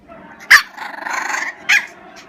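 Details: Pet dog making odd vocal sounds when unhappy: a sharp yelp, then a drawn-out wavering whine-like moan, ending with another short yelp.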